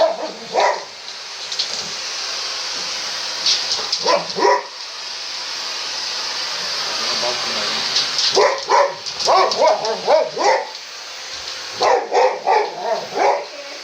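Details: Boxer puppy Sammie, ten weeks old, meets a vacuum cleaner for the first time, with male Boxer Rex from Sweden nearby; loud droning hiss of the vacuum throughout, short yipping barks in bursts, laughter mixed in.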